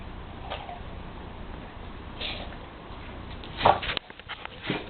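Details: Wilson, a black Labrador Retriever, sneezing: a sharp, breathy burst of noise near the end, followed by snorting exhalations, after a few quieter sniffs and soft rustles.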